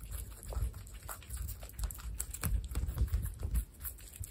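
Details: Pet baby guinea pigs munching their food: busy, uneven crunches and soft thumps follow one another rapidly, with louder bites clustered near the middle and a quieter stretch toward the end.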